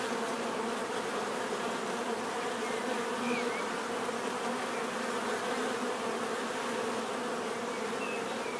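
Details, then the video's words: Continuous swarm hum of many bees, an even unbroken drone with layered buzzing tones, faint higher whines of single insects flying past now and then. "bees therapy relaxing natural buzzing sound"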